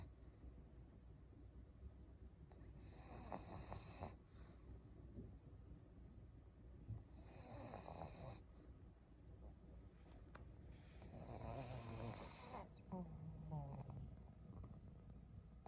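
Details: Maria, a 12-year-old fawn female senior pug in Japan, snores indoors in December: rough, low rasping breaths swelling in bursts about every four seconds, with hissy inhalations between and quiet room hum.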